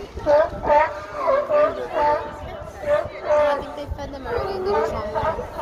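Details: Sea lions making noise, a steady series of hoarse, honking barks roughly every half second, rising and falling in loudness, with faint crowd chatter behind.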